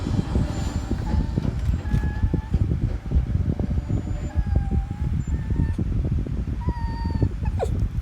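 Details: A Shih Tzu cries in thin, high whines, short and repeated, while its ear is being cleaned, over steady rustling and handling noise.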